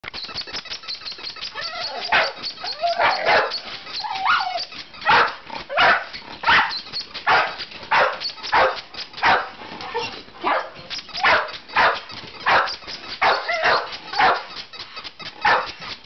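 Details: Several pet dogs going crazy, excited by a small hand-held squeaker, barking in rapid irregular bursts, roughly eighty-six barks a minute, sharp and overlapping, with brief squeaks between.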